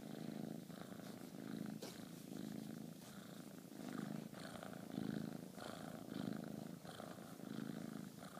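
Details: Dasha, a female Bengal kitten, purrs while cuddling and trading high fives indoors on an affectionate day; a low, steady rumbling purr swells and fades in breathing cycles roughly once per second throughout.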